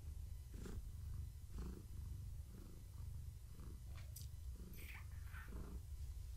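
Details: Evening purring from a pregnant long-haired tabby being stroked, kittens active in her belly; low throbbing purr in regular pulses, with a few brief high squeaky sounds near the end.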